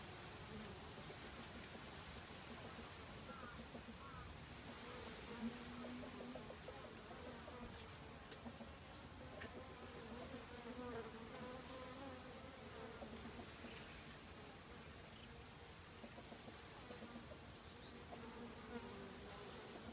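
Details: Honey bees foraging restlessly in autumn for winter provisions: a soft, wavering drone that rises and falls as bees come and go over twenty seconds, with faint scattered clicks in the background.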